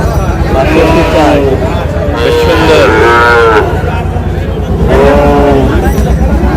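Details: Sahiwal breed bull calves at a farmers' cattle market in Dhaka, Bangladesh, on 8 July: loud drawn-out moos with wavering tone rise over a constant din of traders bargaining and crowd chatter.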